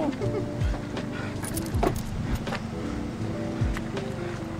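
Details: Background music with a thumping bass mixes with talking and passing traffic outdoors, with no clear animal sound.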